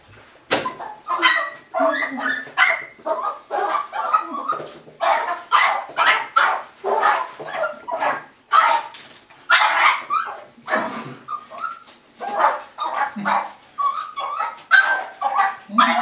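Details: Russian Toy Terrier, 6.5 months old, greeting its owners home from work, as it does every day indoors. Rapid, high, yappy barks tumble over one another almost without pause, mixed with short whiny yelps and a few lower squeaky whimpers.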